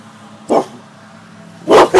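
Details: Two short, forceful barks roughly a second apart from Gia the cane corso and Deuce the bullmastiff, pet dogs that bark on command and guard their home; a faint constant hum lies beneath.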